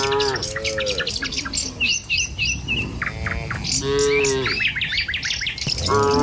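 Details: Morning herd of tame cattle walking a village road to the pen; several long, steady moos in quick succession with loud bird chirps and short whistles overhead.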